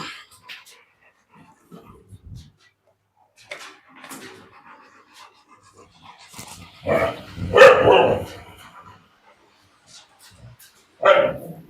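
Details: Dog at a dog farm kennel giving loud, harsh barks: a cluster of bursts in the middle and one more sharp bark near the end, separated by quiet stretches with a handler calling out in Tamil.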